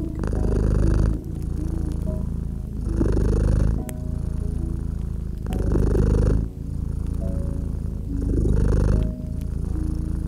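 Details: Low, rhythmic purring from a cat resting by a fireplace on a winter night, each breath cycle lasting near two and a half seconds, the rumble broken by crisp crackles and occasional pops from the fire.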